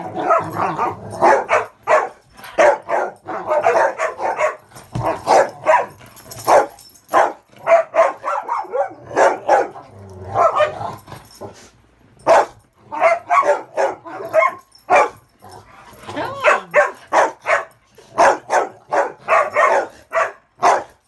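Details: Three dogs, Ravyn, Kyla and Knight, romping indoors on a bed on a muddy day, Ravyn guarding the bed in a king-of-the-hill game; dense bursts of high-toned playful barks and yips, rapid and overlapping, with short pauses throughout.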